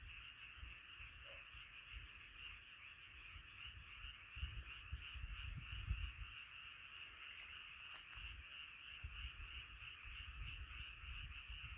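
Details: Chorus of many frogs at night, a steady shimmering wash of overlapping croaks, with low rumbling noise rising in the middle and a short crackle later on.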